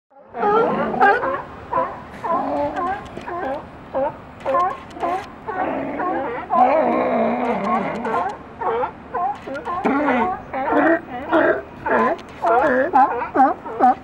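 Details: California sea lions in a group, with a seagull perched on top of the pile: a dense chorus of overlapping hoarse, wavering barks and moans in quick bursts, several animals calling at once, ambient outdoor sound.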